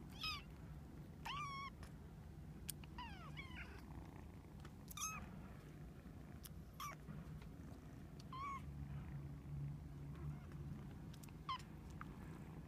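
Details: Playful female Domestic Shorthair kitten available for adoption, kept with her siblings: thin, high-pitched mews, several bending up and down, come in scattered bursts roughly every second or two above a steady low background hum.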